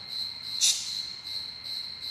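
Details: A cricket, heard loudly indoors during a talk, sings a steady, high, shrill trill that pulses slightly and runs through the whole moment.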